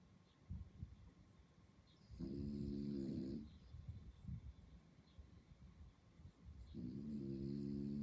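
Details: At night on Sentosa Island, Singapore, a French Bulldog puppy snores in long, rattling, buzzy breaths with quieter snuffles between them.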